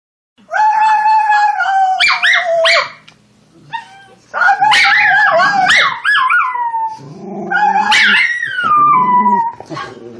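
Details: Female Schnauzer puppy singing along to sounds, giving three long howled bouts with wavering, warbling pitch and rich overtones, the last sliding steadily downward, separated by short quiet gaps.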